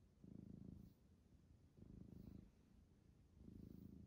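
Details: Silky-coated domestic cat purring as it enjoys being touched by a person; three steady low rumbling purr phrases, each about a second long, with short pauses between.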